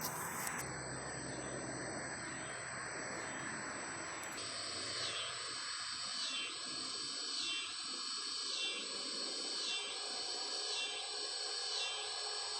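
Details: Cicadas chirping: after a noisy opening, a high, buzzy drone carries a pulsing chirp that swells and fades about once every second, keeping a steady, even rhythm to the end.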